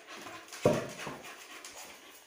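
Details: Female Labrador Retriever puppy Suzi pausing between obedience commands; two breathy panting bursts, the first sharp and loudest, the second softer about half a second later, then quiet room tone.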